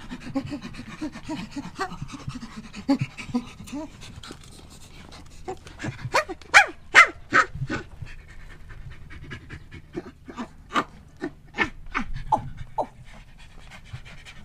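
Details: Chimpanzee panting: a run of breathy, rhythmic pulses, about two or so per second, loudest in the middle, with softer grunting breaths at the start and laughter nearby.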